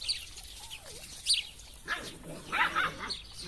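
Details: Drahthaar (German Wirehaired Pointer) puppies whimpering: thin, wavering whines that rise and fall, one early and a longer cluster near the end, while high bird chirps sound in the background.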